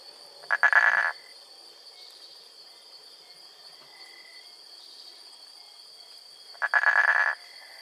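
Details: Wild frog vocalizing, recorded live: two short, buzzy, pulsed calls about six seconds apart, each roughly half a second long, over a steady high insect drone.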